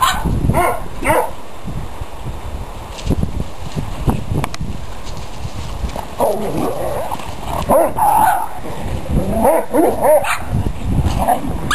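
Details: Dogs at play, heard through a noisy, busy mix of short yips, whimpers and low growly sounds, with a human exclamation and handling noise.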